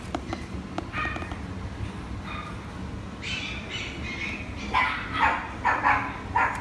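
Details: Female Papillon giving a few faint early yips, then a run of louder, higher barks packed closely together in the last few seconds, over steady background noise.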